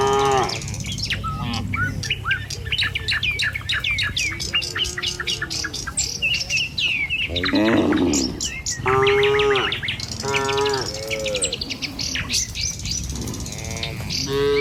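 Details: Tame cattle walking in a herd with their herder down a village road in the morning, heading for feeding fields. Busy bird chirping fills the first half, then several long, harmonic moos follow in the second half.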